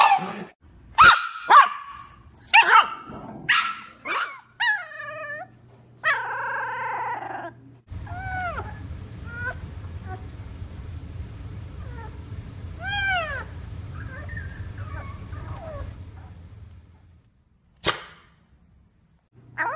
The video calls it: EVERY SOUND A SHIBA INU MAKES IN UNDER 2 MINUTES..